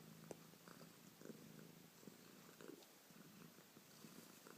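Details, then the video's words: Pet cat Bubbles purring in a small room, a low pulsing rumble with faint clicks and light hiss. "Bubbles doing that thing cats do..."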